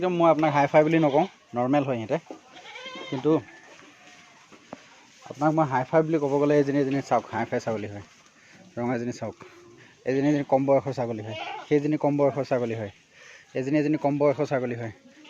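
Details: Assam Hill goats kept on a farm in Assam, India, calling in long, quavering, wavering bleats, several in a row, each lasting about one to two seconds, separated by short pauses.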